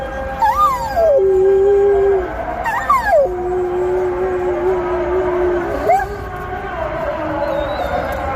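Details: Dog reacting to the call to prayer with drawn-out howls, each starting with a quick upward sweep that drops into a long level tone; three such howls, the middle one held for nearly three seconds.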